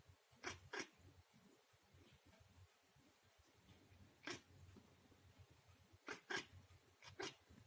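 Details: Domestic cat reacting to spectators' flags flying during a televised cross-country ski race; about eight brief, sharp, breathy chirps, often in quick pairs, scattered across the stretch above a low continuous hum from the television.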